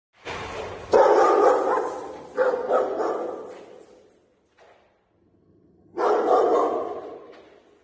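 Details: A 10-month-old female Rottweiler gives deep, drawn-out barks with a brief pause between bursts.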